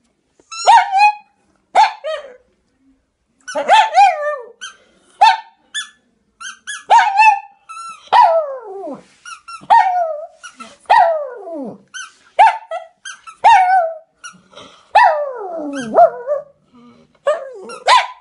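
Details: A singing Pekingese gives a long series of short, high, falling yelps and wavering howl fragments, separated by brief pauses, sometimes sliding steeply down in pitch.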